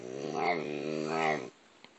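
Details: A dog 'talking' with a drawn-out, low, groaning moan lasting about a second and a half. It is rich in harmonics and swells twice in loudness before stopping, followed by near silence.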